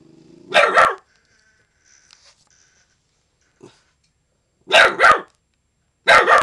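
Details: Little Man, a young dog not yet a year old, guarding the yard and alerting to someone who should not be there: three bursts of sharp, harsh barks, the first a quick double, separated by quiet gaps with a faint click.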